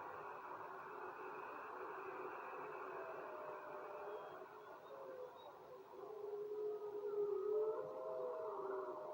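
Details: Howling wolves: several long, steady, overlapping mid-pitched howls that slowly bend and glide, growing louder toward the end, over a dense, continuous rushing hiss.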